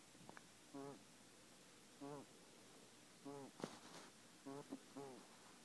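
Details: Kenny, a male pet guinea pig with a breathing problem, making short wheezy, harmonic-rich bursts roughly every second, about five in a row, with one sharp click between them in a quiet room.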